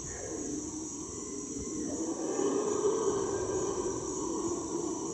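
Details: Heard from a canoe in the hot, humid Ecuadorian Amazon, a howler monkey's low, rough roar swells in the distance over a steady high insect drone.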